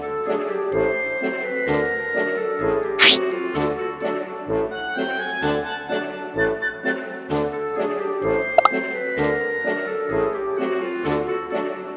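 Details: Bright, tinkling music with chime-like notes and a steady plucked beat plays throughout, with no animal voice heard.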